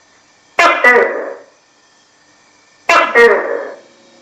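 Loud, nasal barks from a tokay gecko come in two-part phrases: a sharp, clipped first note and a drawn-out, croaking second. The call repeats after a short pause against a quiet background.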